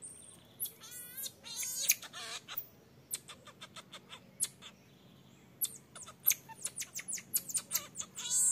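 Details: Baby marmoset pleading with its mother to suckle, the mother strictly refusing; quivering, trilled high cries at the start give way to quick clicking chirps and rising squeaks, ending in a loud shrill note.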